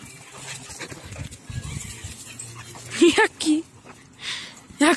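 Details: An energetic American Staffordshire Terrier jumping on its owner, giving short rising whines and yelps near the end, mixed with a person speaking Polish and scolding it.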